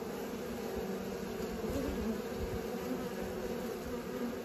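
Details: Young honey bees taking their first flights make a dense, continuous hum. The low buzzing is even and unbroken, with small swells in loudness and a faint background hiss.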